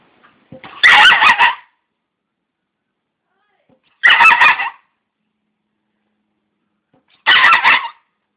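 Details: Rouge, a pet dog, barking at the grid indoors: three loud, sharp bark bursts spaced roughly three seconds apart, with silence between them.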